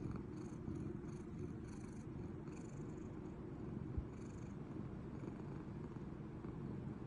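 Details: Toranosuke the house cat, asleep with cat Mego at its side, produces an even, low vibrating snore that continues without pause, with faint airy hissing bursts early on and a single soft tap near the middle.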